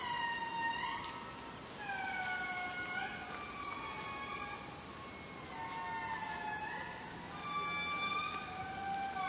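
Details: Several indri lemurs wailing in Analamazaotra National Park, Madagascar: long, siren-like tones that swell and rise, then slide down and hold in overlapping layers, several voices calling over one another against steady forest hiss.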